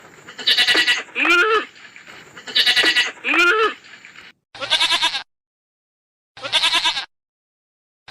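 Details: Goat bleating to call its herd: loud, harsh, wavering bleats in pairs, each pair a bright nasal cry then a lower bleat, followed by two single bleats separated by silent gaps.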